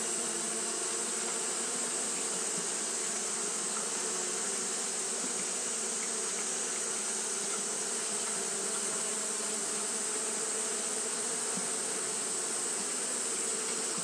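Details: Japanese honey bees fanning without pause on a hot day; an even, sustained buzzing hum, layered and unchanging, blended with broad bright hiss.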